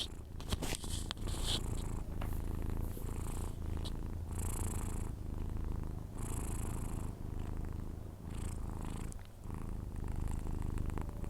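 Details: Persian cat snoring as it sleeps, a continuous low throaty rumble broken by soft airy breaths every second or two, with faint room noise.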